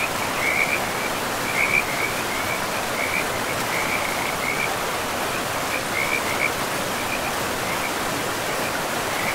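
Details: In a forest with moss-covered ground, frogs near a river give bursts of quick, rattling trill notes, several in a row, then pause briefly, all against a constant rush of water.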